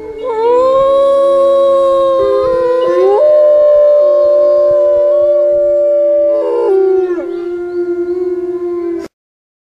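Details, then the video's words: Long, loud howling from a research wolf, rising at the start then held steady for several seconds, with a second voice stepping up and down alongside; ends abruptly in silence. "Nature's greatest song: Pukak howling."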